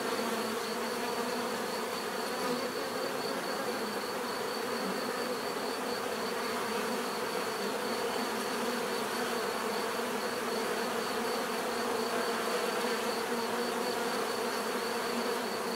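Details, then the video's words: Steady buzzing of many bees forms a dense, level drone across the whole stretch, individual insects occasionally standing out as they pass closer, alongside a faint constant high tone. "bees therapy relaxing natural buzzing sound"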